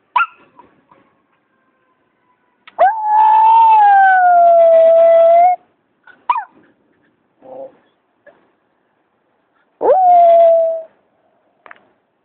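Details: Pet Miniature Schnauzer howling indoors: a long sustained tonal howl near three seconds, sagging slightly in pitch, followed by soft snuffles and small yips, then a second shorter howl that starts with a sharp rise and falls away.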